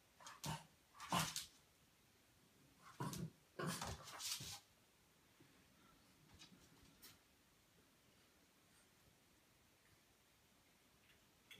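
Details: French Bulldog puppy playing with a British Shorthair cat indoors: several short, harsh bursts of yips and grunting barks in the first five seconds, then only faint scuffling.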